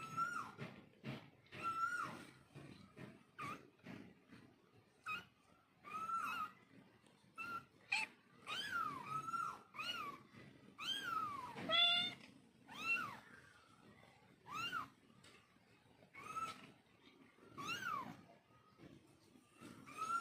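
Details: Kittens and their mother calling back and forth: many short, high mews, often arching up and down sharply, repeated every second or so in busy clusters, with brief pauses throughout.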